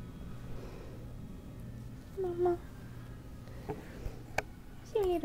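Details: Domestic cat, a mother with her kittens indoors: two short, falling meows, one near the middle and one at the end, over a low steady hum, with a person talking softly to the cats between them.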